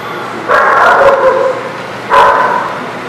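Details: Dog at The Barking Lot, recorded 11/1/19, barking loudly twice: a long, harsh bark of about a second, then a pause, then a second strong bark. Light background noise runs throughout.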